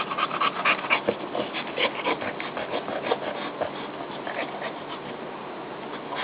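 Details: Female dog settling in with her newborn puppies, breathing in uneven, heavier huffs that come in short bursts and ease off toward the end.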